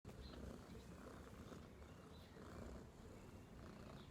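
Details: Domestic cat purring steadily, a low continuous rumble throughout with faint higher crackle; no other clear sounds.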